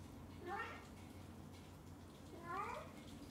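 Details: Kitten named Onion, excited and happy while his mother cat pampers him indoors, gives two brief harmonic meows about two seconds apart against a quiet low background hum.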